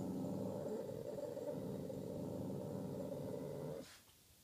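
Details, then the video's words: Boston terrier at night giving a continuous low, throaty growl or rumble with rapid pulsing texture for nearly four seconds, ending abruptly with a brief breathy exhale. "Boston terrier in middle of night"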